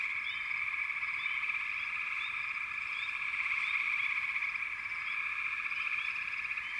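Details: Frogs in full chorus, a steady pulsing trill without gaps, dotted with short rising chirps that recur every second or so.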